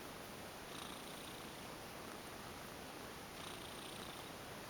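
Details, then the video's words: Ex-stray female cat purring while massaged, a soft continuous purr with two brief breathy swells, recorded close up in a quiet indoor setting. "Lovely Cat goes limp for a massage & purrs lots !"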